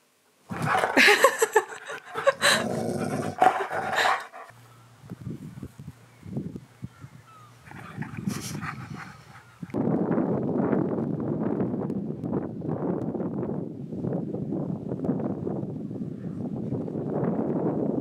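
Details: Husky Keyush, inviting his best friend Sherpa over for waffles, gives a burst of loud, harsh barks and yelping vocal bursts in the first four seconds, then quieter scattered noises before a long stretch of steady rumbling background noise.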